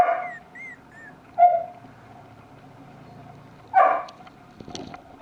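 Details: French Bulldog puppy at a breeder in Tokyo, Kanto region, Japan, giving short whiny yelps, two louder bursts a couple of seconds apart, over faint high whistling tones at the start and a steady indoor hum.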